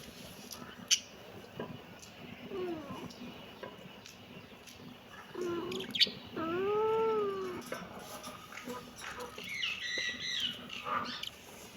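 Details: Kittens meowing: a few arched, harmonic meows of rising then falling pitch, the loudest near the middle, with softer, higher chirping cries toward the end over a light background hiss.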